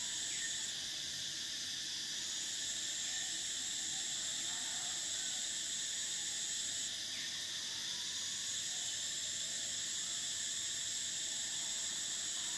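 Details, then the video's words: Shrill summer chorus of cicadas, a constant metallic whine with the uppermost band cutting out briefly at the start and again around seven seconds, faint scattered chirps below. "Cicadas: the sound of summer"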